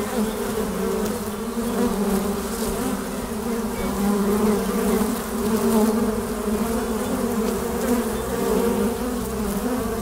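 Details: Steady buzzing of honey bees flying in and out at a hive's entrance hole: a thick, even, low-pitched hum with soft swells as individual bees pass close by.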